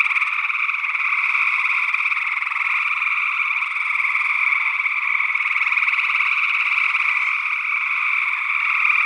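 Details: Chorus of gray tree frogs, Northwest Wisconsin, early June 2022, captured on a matched stereo condenser pair. Steady, rapidly pulsed trilling fills the whole stretch without pause. Another unidentified frog species may be calling too.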